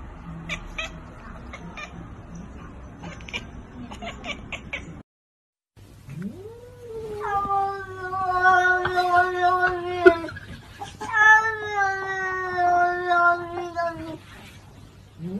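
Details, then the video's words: Kittens meowing indoors: after a few seconds of low rumbling and faint clicks, a pause, then a rising drawn-out meow followed by several long, steady, harmonic-rich meows in a row, with soft music underneath. "Kittens meowing sound"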